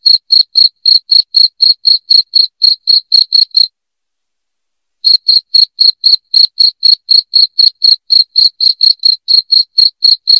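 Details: Shrill cricket chirps, offered as a sound to repel rats indoors. Rapid, regular high-pitched pulses, about four per second, break off for over a second midway and then resume. The background is otherwise silent.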